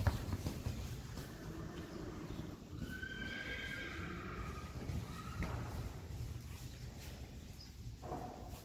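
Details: Friesian horse yearling fillies in a herd, called by name: one faint, wavering high whinny in the middle, over steady broadband rumble and scattered thuds.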